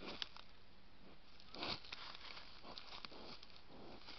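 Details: A wild boar sniffs right next to a trail camera in short, breathy, irregular snuffles over a faint background hiss.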